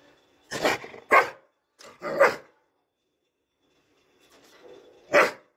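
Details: A Dobermann in training lets out three loud, harsh barks about half a second apart, falls quiet for nearly two seconds, then gives one more forceful bark, with faint low rustling in between.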